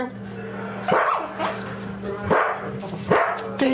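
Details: Daisy, a pet dog, riled up about a squirrel outside alongside fellow dog Toby, shows displaced aggression; three sharp barks burst out roughly a second apart over a person's talking voice and a steady low electrical hum.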